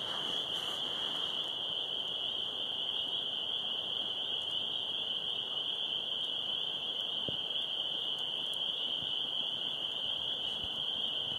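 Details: A dense chorus of spring peepers (Pseudacris crucifer) about 100 yards away in a backyard, countless high peeps blending into one steady, ringing shrill.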